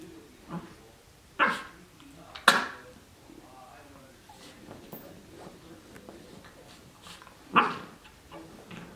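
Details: Cardigan Welsh Corgi puppy of 12 weeks playing in a dog bed, letting out a few isolated sharp barks, two close together early and one more after a long quiet stretch.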